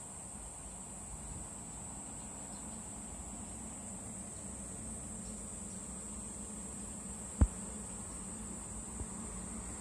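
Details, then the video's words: A cicada perched on a cherry tree keeps up a sustained thin, high buzz without pauses, over a quiet low hum, broken once by a sharp knock late in the stretch. "매미 (벚나무의 매미) 매미과 Cicada"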